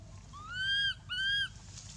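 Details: Two loud, clear arched wails in quick succession, each climbing then sliding down, from baby monkey Anissa in pain after being hit and dragged by Aron across the hard earth at Angkor Wat temple.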